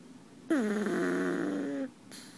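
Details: Sleeping in someone's arms, a pug lets out one long, whistling, nasal snore that starts with a brief higher note, drops and holds a droning pitch for over a second, then stops.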